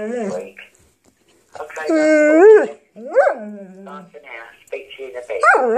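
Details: Dog vocalising at answerphone messages: bursts of whiny, bending howls and short yelping notes that climb and fall in pitch, alternating with quieter stretches of recorded speech from the phone.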